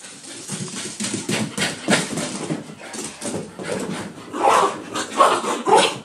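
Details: After a bath, pet dogs Daisy and Oliver go crazy: quick huffs, grumbles and whiny yelps pile up indoors, growing louder toward the end with sharper high squeaks.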